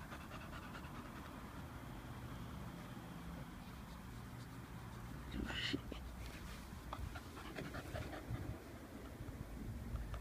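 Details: Muscular Staffordshire Bull Terrier panting eagerly while wanting its owner to play with a ball; steady breathy rasps under low rumbling background noise, with a brief brighter burst midway and a man's voice nearby.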